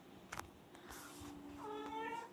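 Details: A pet cat gives a faint, drawn-out meow with a steady tone, then a higher wavering meow near the end, amid low background noise and a few clicks; a person talks to it in Tamil just before and after.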